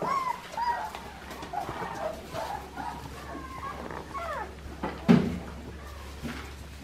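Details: Clementine's Australian Shepherd puppies give soft, thin whines that slide up and down, alongside a steady low hum and one sharp knock near the end.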